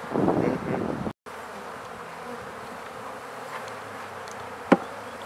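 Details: Honey bees at newly set-up hives being fed; a continuous low buzzing hum fills the recording, broken by a brief silent gap and a single sharp knock near the end.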